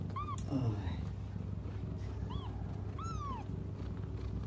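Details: Cats crying while waiting for their mother to come: three short arched meows, rising then falling, with a quick pair near the end. Steady low hum underneath.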